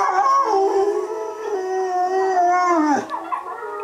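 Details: A Bullmastiff howls along with wolf howls played on a computer: long, drawn-out tonal howls that waver and slide up and down, overlapping with other howling voices, with a sharp downward dip near the end.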